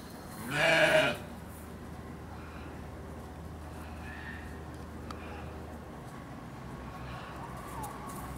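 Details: A lamb at Hamura zoo in Japan gives one loud, harmonic bleat lasting about half a second near the start, followed by quiet background hum and a few faint distant sounds.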